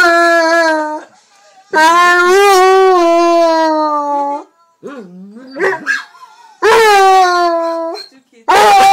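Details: Basset hound howling along to a recording of his own howls: long sustained wailing notes with rich harmonics, separated by short gaps, with a brief wavering yelp in the middle.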